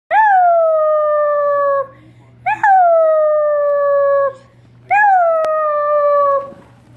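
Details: Basset hound puppies howling along with their owner: three long, tonal howls of about two seconds each, rising sharply at the start then sliding slowly downward, separated by short pauses.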